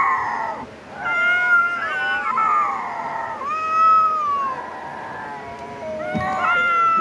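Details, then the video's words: Cats fighting: long, drawn-out wailing yowls that waver up and down in pitch, several overlapping harmonic cries running almost continuously, with a brief lull near the start and another swell of yowling near the end. "cat fighting video"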